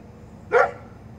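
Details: Great Pyrenees on guard duty giving one short, loud, deep bark lasting about a quarter second, over a steady low background hum.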